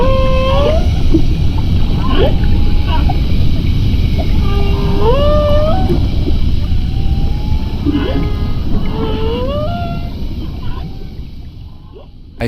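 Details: Whales heard for the first time from a boat through a home-built hydrophone device: clear tonal moans and smooth rising upsweeps, some repeated in similar phrases, with short higher squeaks, over a steady dense low rumble of water and engine.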